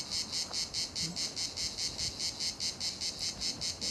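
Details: Cicadas at La Garoupe on Cap d'Antibes, southern France, fill the air with a loud, pulsing, high-pitched buzz throbbing several times a second.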